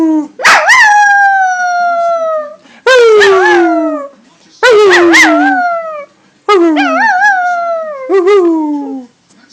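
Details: Pet dog showing off her howling: four long drawn-out howls, each starting high and sliding gradually downward, with wavering tones and short gaps between them.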